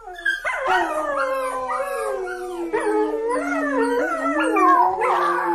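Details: Dog howl with a long low sustained tone beneath higher wailing voices that swoop upward and droop down again, layered and mournful, with a brief sharp onset and a rising cry near the end.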